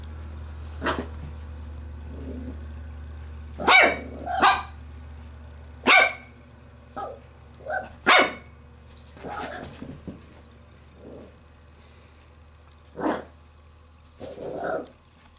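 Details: Female Pembroke Welsh Corgi puppy, nearly eight weeks old, tugging at a glove: a long run of uneven high yaps and barks, some paired quickly, mixed with short low growls, over a background hum.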